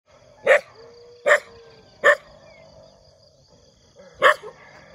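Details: Dog barking in the morning: four sharp, single barks, three spaced under a second apart, then a pause before a fourth near the end, over a faint steady background hum.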